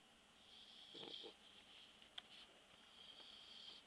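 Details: Taco the bulldog asleep indoors after a walk, snoring softly: a few faint, hissy breaths with a wheezy rasp, the loudest near the start and a brief click midway.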